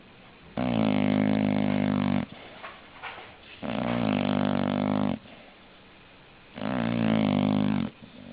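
An English Bulldog snores loudly, each long rasping breath separated by a brief quiet pause.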